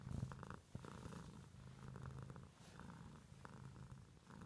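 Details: Contented pet cat purr, a deep rumbling vibration strongest at the start, then continuing in gentle pulsing waves with one short click early on.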